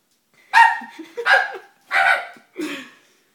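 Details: Dobermann puppy barking at a stuffed toy it fears, four separate rough barks spaced roughly two-thirds of a second apart.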